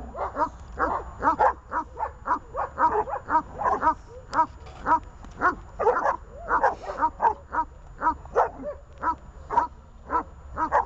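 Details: Leashed dogs Glemmy, Fela and Rey barking hard: a dense, uneven run of short, mid-pitched barks, roughly two per second, some overlapping, with a low steady hum underneath throughout.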